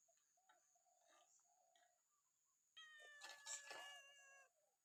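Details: Temple cat fed on a misty morning during alms giving at Wat Pong Chai, Chae Hom, Lampang, Thailand: one long, even, harmonic meow lasting nearly two seconds, after faint bird chirps earlier.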